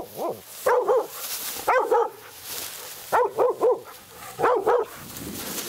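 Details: At night a hunting Laika barks at a badger it has met for the first time: high, ringing barks in clusters of two or three, separated by short gaps, with faint rustling between.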